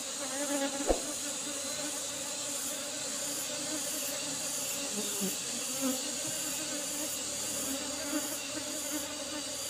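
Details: Asian honey bee colony being harvested from an old-fashioned hive box; an even, low bee hum under a steady high pulsing insect chirr, with one sharp knock early on.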